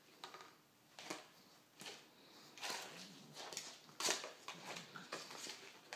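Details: Pug playing with a flower pot indoors: short breathy sniffing bursts, spaced roughly every second, with brief soft clatters and scuffs between them in a small room.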